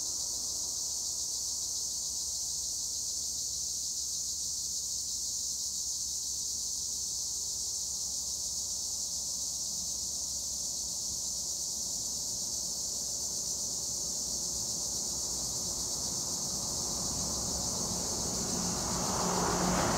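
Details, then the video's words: Tree crickets (Acheta assimilis) in olive trees near Edremit, Güre, Turkey, keep up a dense, unbroken high shrill chorus. A broader rushing noise swells in over the final two seconds. "Tree cricket noise in Olive trees - acheta assimilis"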